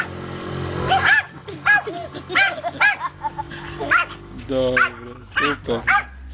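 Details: Pekingese named Dasy, in Kriva Palanka, Macedonia, summer 2009, yapping in a run of short, high, sharply arched barks about every half second, with human voices and laughter mixed in.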